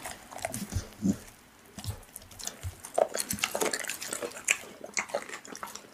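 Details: A pit bull chews raw meat indoors: sharp wet clicks and crunches come in uneven bursts, with a few duller thuds of biting between quieter moments.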